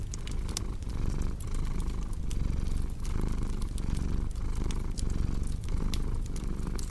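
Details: Deep, continuous cat purr with regular in-and-out breath pulses roughly every 0.7 seconds, set against a cozy fireplace whose crackles and snaps sound as bright clicks throughout.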